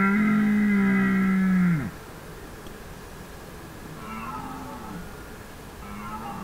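A red deer stag gives a long, deep, steady call that drops away at the end; fainter stags answer.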